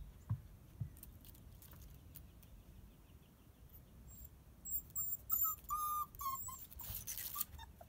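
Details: Seven-week-old female Border Collie pup Fancy Pants: a few soft taps and rustles at first, then from about halfway a burst of short, high, wavering whimpers in close succession, ending in a brief noisy scuffle.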